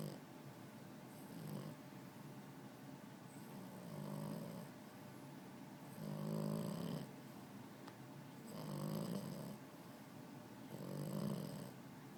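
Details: Buddy, a sleeping puppy with his eyes open, snores in low rasping breaths roughly every two to two and a half seconds, each swell rising and fading, five snores in a quiet indoor setting.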